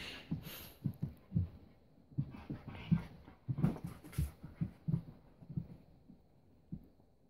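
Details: Playful low grumbling from Keiko, a 4-year-old Husky, and Lucy, a 3-month-old Welsh Springer Spaniel puppy, meeting for their first play date; short throaty pulses repeat irregularly, with brief scuffling noises above.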